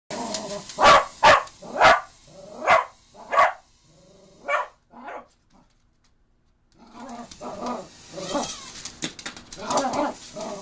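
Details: Cocker Spaniel named Cookie barking in reaction to a mini drone: a run of about six sharp, loud barks over four seconds, a quiet pause, then softer mixed sounds and voices in the background.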